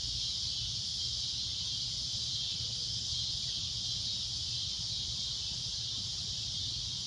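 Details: Loud shrill droning of a cicada at sunset, a steady high buzz that never pauses, with faint low rumble underneath.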